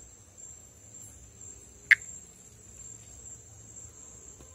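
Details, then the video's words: Pithecopus nordestinus, a Brazilian tree frog, calling during amplexus: a single sharp click-like note near two seconds over a steady high insect-like whine and faint low background rumble. "Vocalização e amplexo de Pithecopus nordestinus"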